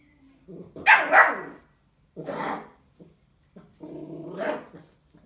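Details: Bull Terrier puppy taking its first bottle, giving three drawn-out harmonic yelping whines about a second apart, the last one rising in pitch. The room is otherwise quiet.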